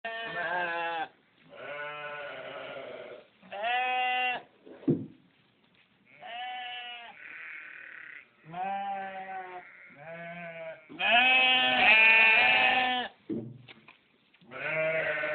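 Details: Several loud sheep on a farm bleating one after another. Each bleat is a drawn-out, quavering baa of about a second, some low and some higher and harsher, separated by short pauses.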